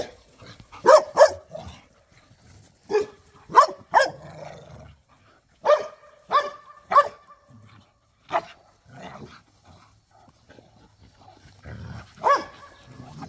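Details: Pit bulls and a Malinois playing in a back yard, with growling, barking and snarling during tug of war; short sharp barks come in pairs and bursts with quiet gaps between, and low rumbling growls sit underneath.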